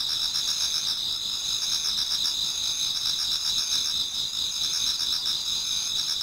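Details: Towards dawn in autumn, insects sing together in a Japanese garden: a steady ringing wall of high trills with quick rhythmic pulses layered beneath, no other sounds standing out.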